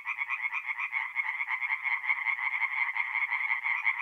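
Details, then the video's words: Tree frogs singing by night at a forest pond, north-east Italy, mid-April; many rapid, harsh pulsed calls blending into an unbroken rattling chorus. "relaxing forest pond by night with singing tree frogs"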